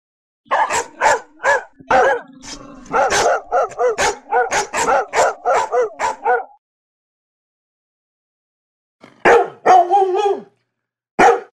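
A Labrador Retriever barks in a steady run of deep, rough woofs, then a few more after a pause.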